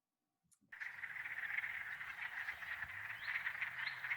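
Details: Wood frogs calling in early spring in Michigan, sometimes while ice is still on the pond: after a brief silence, a dense chorus of rapid, duck-like clucking quacks in a mid-pitched band, steady and overlapping.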